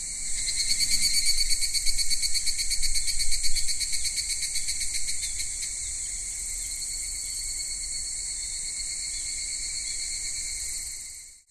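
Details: Japanese summer cicadas at Kitakami's Michinoku Folk Village and Tenshochi, from minmin-zemi to dusk higurashi: a loud nearby pulsing, rapidly throbbing buzz for the first five seconds over a constant high drone, then the steady chorus alone before fading out.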